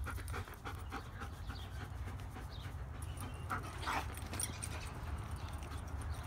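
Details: German Shepherd in spring, breathing in quick, rough, breathy bursts that repeat steadily over a constant low rumble, with a few brighter puffs near the middle and no barking.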